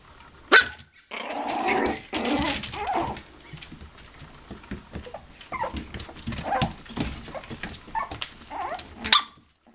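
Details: Toy poodles and Pomapoos playing together in an indoor living room play area, 11/9/07: two sharp high yips bracket a stretch of rough, growly play noises and scuffling, with background music.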